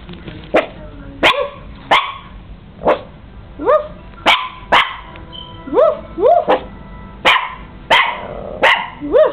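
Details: A five-month-old Chihuahua puppy playing in bed gives about a dozen sharp, high yaps at uneven intervals. Many of them sweep upward in pitch. Faint music plays in the background.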